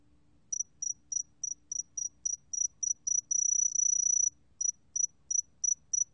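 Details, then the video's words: A sword-tail cricket gives high, pure, tinkling chirps about three or four a second, breaking once into a sustained trill before resuming, against a quiet background. "새금빛종다리, 1번 듣기, 곤충소리"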